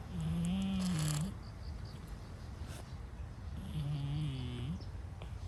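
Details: Brown-and-white stray cat asleep, giving two long, low, steady snores over a second each, spaced about three and a half seconds apart, with soft breathing between.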